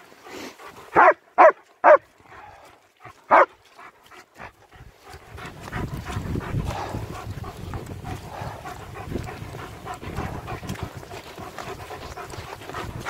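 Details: German Shepherds Nico and Zeeva on a winter wander near Hawick, Scotland, recorded on an S23 Ultra: four sharp barks in the first few seconds, then rustling footsteps and outdoor noise.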